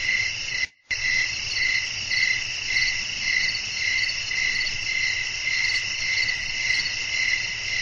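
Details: Crickets chirping at night in a relaxing nature soundscape with blowing wind, a dense steady chorus of high trills pulsing roughly twice a second, with a brief silent gap near the start and a low constant hum beneath.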